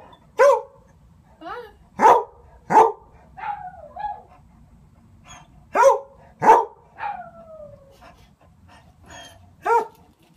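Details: A dog barking through a door at other dogs, loud sharp barks in uneven bursts, some doubled, with a few quieter yelps and falling whines between, over a quiet indoor background.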